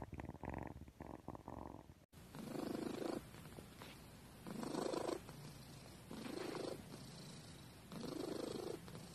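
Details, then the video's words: Domestic cat purring steadily after a brief cut, the low rumbling throb swelling and fading in bursts of about a second as it breathes in and out, with a faint room hum beneath. "Cat purring compilation"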